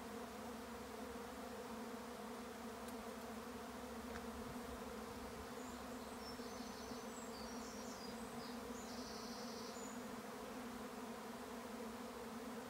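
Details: A swarm of bees at a regenerative farm in County Kilkenny, Ireland, gives a steady, rich, low humming drone for the whole stretch, while brief distant bird twitters sound faintly in the second half.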